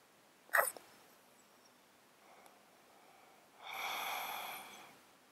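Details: Domestic cat sleeping in a box, close-miked, with a 13-year underlying disease that makes him sound snotty and sneeze constantly: one sharp sneeze, a faint sniff, then a longer harsh, breathy, wheezing exhalation.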